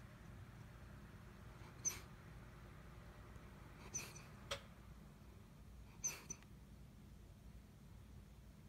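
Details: A Schnauzer dreaming in its sleep gives soft, muffled little woofs a few seconds apart.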